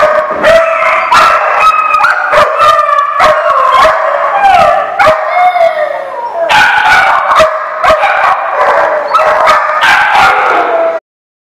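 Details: Several dogs, dated 12/11/15, bark in rapid overlapping bursts, with drawn-out howl-like tones sliding downward midway, then a renewed loud chorus before an abrupt stop.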